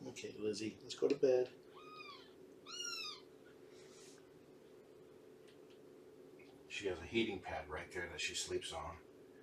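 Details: Two arched meows in quick succession from Shelby, an estimated two-year-old abandoned cat now with Purrfect Pals, on a morning visit; each call swells and falls, framed by human talking before and after and a low steady hum.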